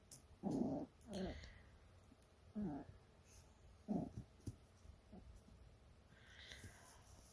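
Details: Toy Poodle puppy, 49 days old, indoors with its mother: short soft whimpering cries in bursts, several spaced one to two seconds apart, fading toward the end, with quiet room noise.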